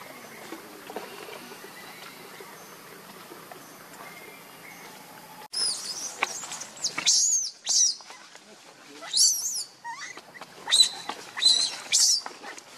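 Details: A hungry baby monkey named Lucie cries for milk, foaming at the mouth: after five seconds of low background hiss, a run of shrill, high squealing cries comes in bursts roughly every second or two.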